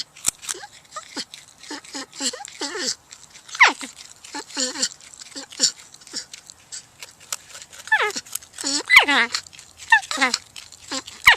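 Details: Porcupine making a busy run of short, nasal whines and squeaks, some rising and falling in pitch, roughly one per second, with brief higher squeals between them.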